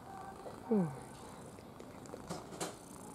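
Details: Red domestic cat purring, a low steady rumble broken by one short falling chirp-like trill near the start, while a person murmurs affectionately in Russian and light handling noises follow.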